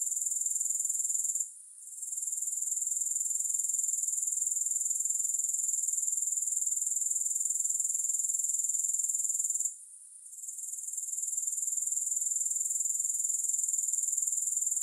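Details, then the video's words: High, continuous grasshopper buzzing with a quick regular pulse, interrupted twice by short quiet dips, each followed by a gradual build back to the full shrill trill. No music. "Grass Hopper Sounds"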